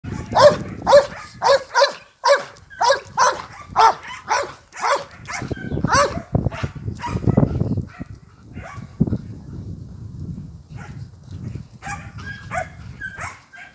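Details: Belgian Malinois in training at a kennel in Lazarevac, Serbia, giving a rapid run of loud sharp barks, about two per second, that loosen into scattered barks and then pause, with a few more barks near the end.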